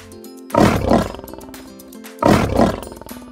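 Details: Lion roaring: two deep, rough, pulsing roar bursts about a second long each, roughly 1.7 seconds apart, with background music throughout.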